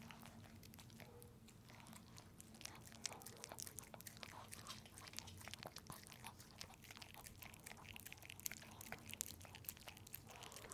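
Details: Close-up chewing from Pepe, a dog enjoying peanut butter inside a small room: rapid, uneven sticky licks and crunchy mouth clicks without pause, over a steady low hum.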